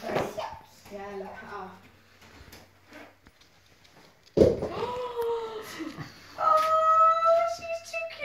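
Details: Nellie, an 8-week-old West Highland White Terrier puppy on her first day in her new home, kept in a pen, gives high drawn-out whining whimpers that rise then hold steady, after a person speaks about shutting the kitchen door indoors.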